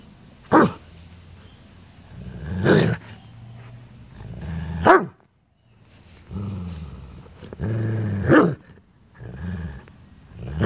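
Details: Rhodesian Ridgeback guarding his toy, growling at his owner to leave it alone; low rumbling growls swell into short sharp bursts, roughly five outbursts spread across the stretch with quiet gaps between.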